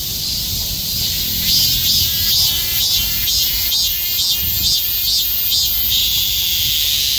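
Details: A summer mass of cicadas clinging together like bees and calling all at once, their shrill buzzing drone swelling into rhythmic pulses, several per second, over a constant high hiss.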